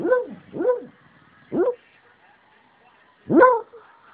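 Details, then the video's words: A sleeping 8-year-old rescue Beagle barks and bays in its sleep: two quick rising-falling woofs, a third after a pause, then a louder strained bay near the end, over a quiet steady indoor hum. "Beagle Sleep-Barking/Baying"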